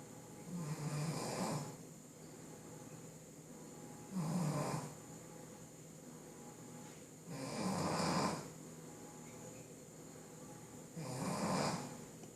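A Shih Tzu snores in slow, rumbling breaths, each lasting about a second and coming every three to four seconds.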